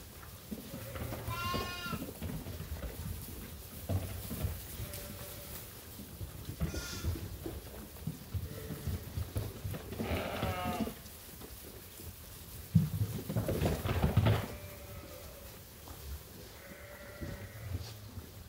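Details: Feeding-time flock of sheep and lambs at Ewetopia Farms. Several separate bleats, some high and trembling, others lower and steadier, spaced unevenly, over a rumbling, busy farmyard background.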